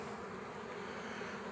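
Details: Dense, unbroken buzzing of honey bees on a frame with a queen as a colony is being formed; a low, even hum with no other clear sounds.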